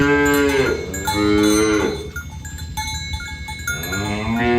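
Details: Several tame cows moo one after another, in overlapping, drawn-out lowing calls, as the herd is driven to the pen on a morning village road. Cowbells ring steadily beneath.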